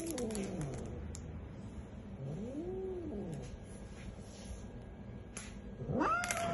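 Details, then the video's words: Billy, a cat angered by a vet visit, makes quieter arching growls that swell and fade, ending with a louder rising yowl over faint background noise. "hissing and growling angry cat! Billy the cat VS the vet!"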